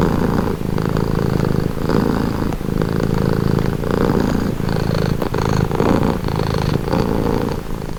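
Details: Close, loud purring of a cat: a rough, low vibrating drone that rises and falls with steady in-and-out breaths roughly every one to two seconds.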